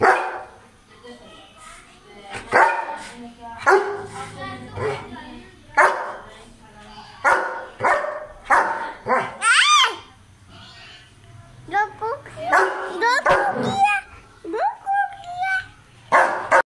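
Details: An angry German Shepherd barking at strangers gives loud, harsh barks in quick bursts, with some whining and human voices between.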